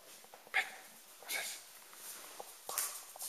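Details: Pig and Beau, two eight-week-old Rhodesian Ridgeback pups, one of them ridgeless, playing indoors; short high yelps and whimpers mixed with scuffling and soft thumps of rough play.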